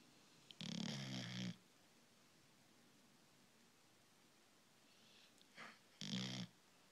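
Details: Indoor snoring from Skyler the dog: a long, harsh, rattling snore of about a second, a faint snort, then another shorter rasping snore, with near silence between.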